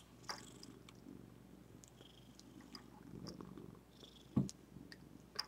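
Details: Zephy, a female pet cat at home by a desk, purring: a soft, low, steady rumble running through the whole stretch, broken by a few sharp clicks and knocks and one louder thump near the end.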